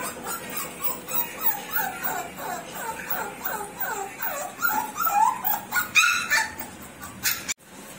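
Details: Show-quality American Bully puppies whimpering and yelping: a rapid run of high, whiny, downward-sliding cries, roughly two a second, growing louder and more urgent toward the end, then a sharp click.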